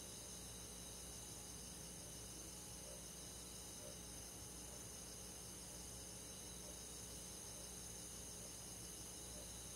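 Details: Crickets and other forest insects in the countryside on a summer night: a steady, dense chorus of high, shimmering pulsed trills layered in several bands, continuous throughout, with a faint low hum underneath.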